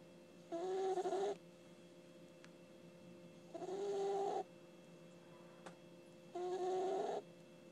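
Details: Puppy Ginny snoring while asleep: three longer, buzzy inhalations with a whistled double tone, each lasting nearly a second, separated by about two seconds of near silence over a constant low room hum.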